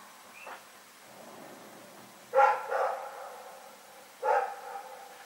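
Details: Rex, a dog, barking in the night, recorded February 27, 2018: after a faint early sound come two loud, hoarse single barks about two seconds apart, with quiet night background between them.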